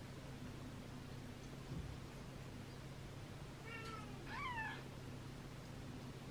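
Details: Third-day newborn rescue kittens, including Gipsy and Cream, hand-fed formula after losing weight; after a quiet stretch, two short mews in quick succession, the second rising and falling, against a steady background hum.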